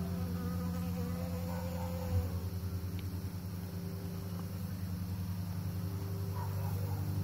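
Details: Pollinating bees make a continuous deep buzz with a pulsing, slightly uneven texture. Faint higher tones waver above the drone, and a single soft tap sounds about two seconds in.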